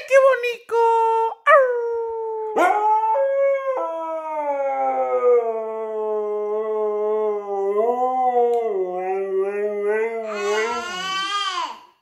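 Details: Siberian Husky giving a long, continuous, wavering howl after a few short yelping starts; the pitch undulates gently and rises into a brighter, strained tone near the end before fading.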